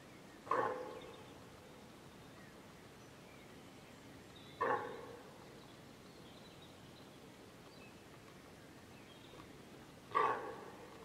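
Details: Deer hind calling for her calf, which became separated from her when a group of wild boar came between them; three short, harsh, nasal barks spaced about four and five seconds apart over quiet outdoor background.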